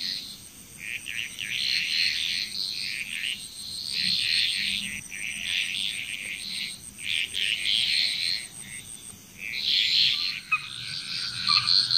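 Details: Frog chorus recorded in Bali, Indonesia: dense bursts of rattling, high-pitched croaks come in waves every two seconds or so, over a steady high insect whine and faint low murmur.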